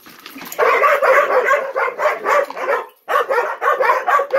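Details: Ten-month-old Gollie puppies waiting to be served breakfast in a morning ritual while adult dogs look on; a dense, overlapping run of excited yips and short barks, broken by a brief pause near the end.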